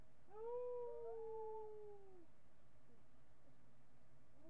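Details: Howling miniature pinscher recorded on a webcam, July 8, 2011, late morning: one drawn-out, gently falling howl of under two seconds, followed by quiet room hum.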